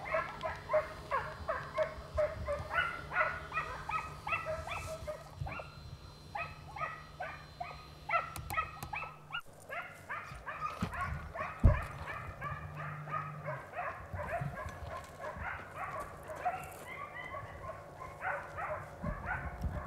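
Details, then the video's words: Segugio Italiano pack giving chase on a hare in a vineyard in Italy, early 1990s hunt; continuous chorus of rhythmic, overlapping yelps and bays for the whole stretch, over a low droning hum. "ALLA LEPRE NEL VIGNONE CON INSEGUIMENTI INCALZANTI DEI SEGUGI ITALIANI"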